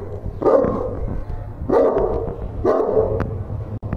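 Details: A dog faced with a stranger lets out three gruff barks about a second apart, each a short harsh burst, against a low steady hum.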